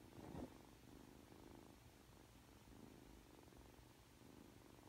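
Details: Three-month-old Ragdoll kitten named Aki turning affectionate on waking, a soft rolling purr throbbing evenly underneath after a short rustle or bump at the very beginning; quiet indoor setting, nothing else audible.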